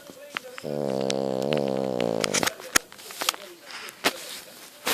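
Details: French Bulldog asleep, a single drawn-out, rumbling snore lasting nearly two seconds, followed by scattered clicks and light rustling.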